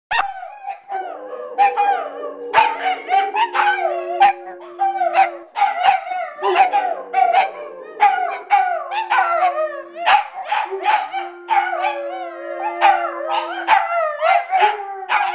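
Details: Several pet dogs howl at once along with singing from American Idol auditions on TV, drawn-out wavering notes rising, falling and overlapping, with held sung notes and music underneath.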